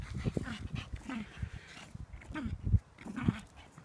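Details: An 8-week-old female Staffordshire Bull Terrier puppy, playing roughly with a Shih Tzu, gives low grunts, small growls and brief whimpering yips in scattered bursts.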